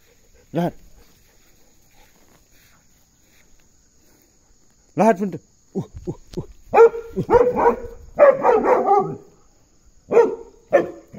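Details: Puntu the Belgian Malinois barking during an ox escort: one isolated bark, a pause, then a dense burst of rapid overlapping barks and shouts, ending with two spaced barks.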